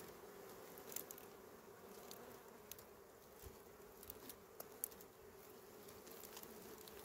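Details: Small bees hum steadily while their honey is harvested, a continuous low drone broken by scattered sharp clicks and taps from the work.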